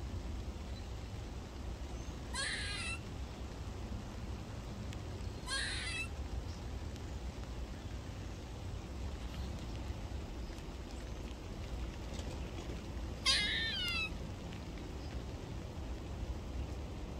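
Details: A squirrel in a garden on a rainy morning gives three harsh, nasal barks, widely spaced, over steady rain.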